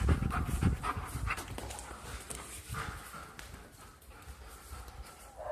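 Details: German shepherd dog at play indoors, breathing in low, rough panting puffs, strongest at the start then softer, over a steady background rumble.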